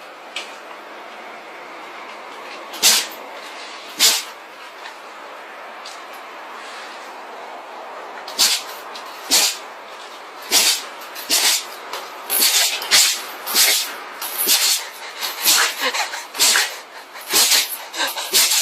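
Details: Jindo dog with a cold sneezing repeatedly, short sharp bursts at first spaced a few seconds apart, then coming in rapid rhythmic succession like beatboxing, about one per second toward the end.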